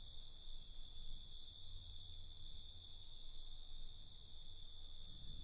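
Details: Crickets at night giving a continuous high trill with a few brighter pulsing bursts on top, accompanied by faint low rumbling.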